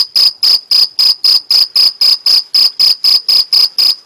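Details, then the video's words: Mediterranean field cricket stridulating in the Algarve, Portugal: an even run of about fourteen high, ringing chirps, roughly three to four per second, each a short buzzy burst, ending in silence. "Cricket Chirping Sound Stridulation Grilo Cantando"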